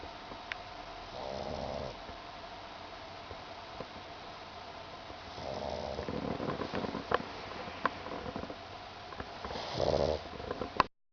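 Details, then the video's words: Mekabu, a pug, snores lightly while dreaming on a kotatsu quilt, legs twitching; three gentle, raspy snore breaths a few seconds apart, mixed with faint rustling and clicking. "pug メカブの小いびき"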